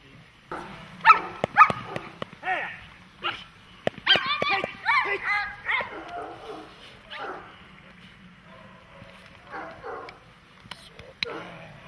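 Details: German Shepherd or Malinois dog barking during protection training: a rapid, uneven run of loud, sharp barks, some in quick pairs, with shorter clipped yelps and sharp snapping clicks toward the end.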